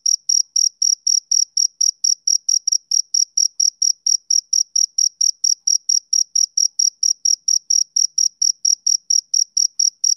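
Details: Continuous chirping by a male cricket, a train of thin, high-pitched pulses close to four per second, clean and rhythmic with no background noise.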